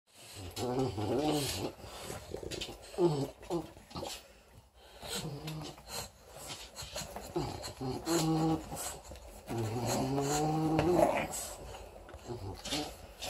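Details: Four-week-old female English Bulldog puppy playing with her teddy bear, giving low, throaty growls and grunts in short bursts of about a second, with pauses between. A person talks over parts of it.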